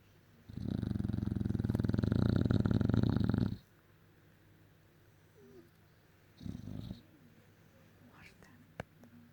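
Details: English Bulldog asleep, snoring loudly like a tractor: one long, rough, low rumbling snore lasting about three seconds, then a shorter, quieter snuffle after a pause, with faint clicks near the end.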